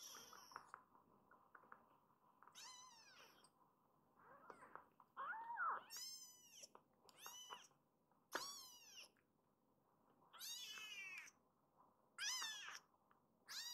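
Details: Rescued kittens in foster care indoors, among them Hana-chan, mew repeatedly. About nine shrill, arching meows come every one to two seconds, some overlapping as several kittens call. Little other sound.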